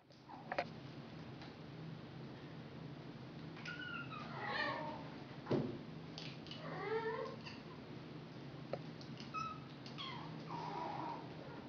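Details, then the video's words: British Shorthair cats, several kept together indoors, meowing because they want to play: soft, thin meows that rise and fall near four and seven seconds, with brief fainter calls later over a low room hum. "Meow :)"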